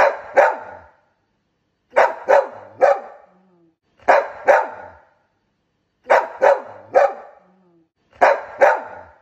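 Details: A young adult Golden Retriever barks loudly in quick bursts of two or three deep woofs, pausing about two seconds between.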